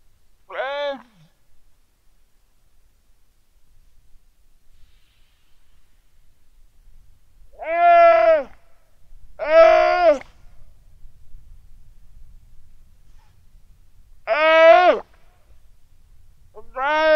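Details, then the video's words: Weddell seal pup lying on the ice shelf at Terre Adélie, Antarctica, calling its mother on a quiet sunny afternoon, 15 November 2009, 17:30, Rode NT4 microphone; five harmonic, arched, moaning calls, each under a second, separated by long silences. "WEDDELL SEAL PUP CALL ITS MOM SOUND"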